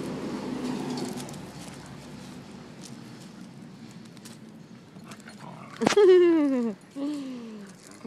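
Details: Beagle Mango romping with her four-month-old puppies on a Costa Rica beach; after a stretch of rumbling noise and faint speech, a sharp yelp drops into a falling whine, then a shorter second whine.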